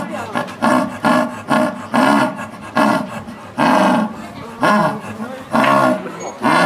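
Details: {'text': 'Aged female jaguar in captivity at Higashiyama Zoo, Japan, giving coarse, throaty grunting calls in bursts roughly once a second, each short and rasping with rich harmonics, fairly regular across about seven seconds.'}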